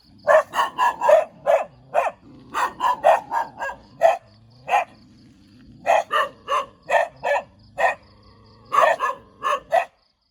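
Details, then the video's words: Barking dog wagging its tail, giving sharp yappy barks in quick clusters of three to five with short pauses between, roughly twenty barks in all, steady and insistent, with nothing else audible. "เสียงหมาเห่า หมาน่ารักกระดิกหาง"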